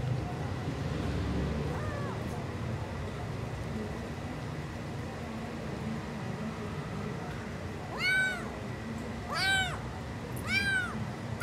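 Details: Tiny adopted stray tuxedo kitten, found on 24 May 2024, tasting chicken for the first time; a faint early mew, then three clear, high, arched mews about a second apart over a low background hum.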